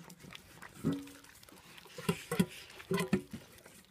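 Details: Two hungry Hortaya Borzaya dogs at feeding time while a second portion is handed out: short, nasal, tonal whines and grunts in separate bursts, a lone one near the start, then a cluster of four, with low room noise.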